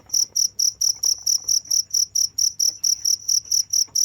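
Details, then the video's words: Crickets chirping without pause, a steady train of bright, high-pitched pulses, roughly four to five each second, evenly spaced, over a faint low background hum. "the sound of crickets"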